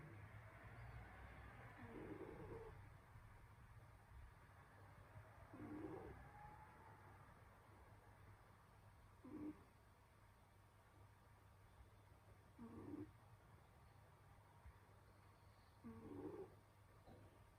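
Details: Winter nap of the pet cat Senyora Betsy, snoring once more; gentle wheezing breaths come in regular pulses every three to four seconds, some fainter than others, over a faint steady background hum.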